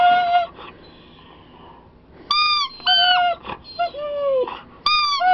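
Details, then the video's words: Siberian Husky whining as a squeaky toy is squeezed: short bursts of high, tonal, slightly falling whines separated by quiet gaps, with bright harmonic cries in the second half. "Siberian Husky (Jerry Lee) crys with toy"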